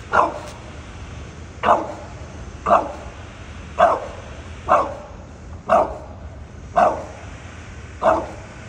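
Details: A bulldog gives short, sharp barks, one roughly every second, apparently at something in a tree.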